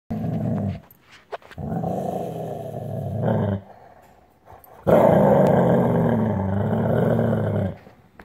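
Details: Dog growling as a warning to get away: deep, rough, rumbling growls in two sustained bouts of about three seconds each, separated by a short pause with a few brief snorts.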